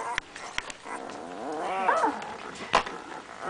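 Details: Young puppies with eyes almost open; one gives a wavering whine-growl with arched, stacked tones mid-clip, framed by sharp clicks and soft handling noises.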